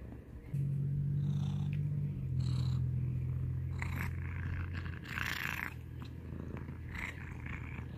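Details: Domestic cat purring up close for ASMR, a loud, deep rumbling purr starting after half a second and pulsing steadily, with brief breathy rustles and scratching noises in the middle.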